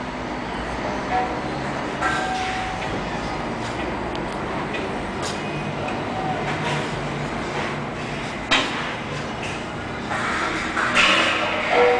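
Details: Steady rumbling vehicle or train noise with sliding and clanking sounds and faint speech, with no animal voice present.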